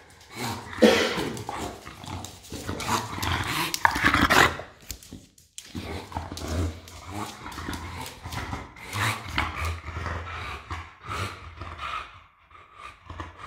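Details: Pet English Bulldog Enzo pawing at a bag of mandarins, giving rough snorting grunts and low growly rumbles, loudest early on, then steadier low grumbling with some rustling.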